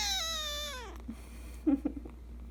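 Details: Kkung, a Persian Chinchilla kitten at home, lets out one drawn-out meow that starts high and clear, then slides steadily down and fades within a second, followed by a few soft small sounds over a constant low room hum.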